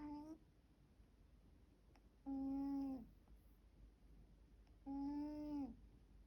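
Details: Snores from a sleeping middle-aged house cat in a home with four cats: three drawn-out, flat, whistling breaths spaced roughly two and a half seconds apart over a quiet indoor background.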